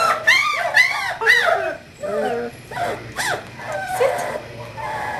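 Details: Kahlua, an English Springer Spaniel puppy five weeks old on 14 January 2012, from Star's fourth litter, utters a run of short arched yips roughly every half second, then softer, lower whimpers and scattered squeaks.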